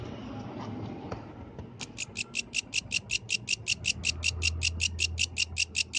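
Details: Night song of a yellow grasshopper: after soft rustling, a run of crisp high-pitched pulses begins near two seconds in, evenly spaced at about four per second, with a low humming rumble beneath.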